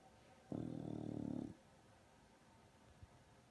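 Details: A female English Bulldog in deep sleep gives one loud, low, rattling snore lasting about a second. Her lip vibrates as she snores, and a quiet room follows the snore.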